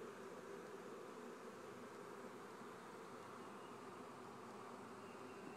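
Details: A honey bee swarm kept by a family beekeeper, heard as a steady, dense, low droning hum that holds evenly throughout with no breaks, quiet and continuous like a soft wash of buzzing wings.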